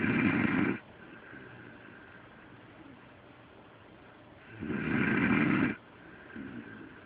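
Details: Sleeping pet dog Delilah snores loudly, likened to a human: rough, rasping inhaled snores roughly every four seconds, each lasting about a second, separated by soft breathy lulls.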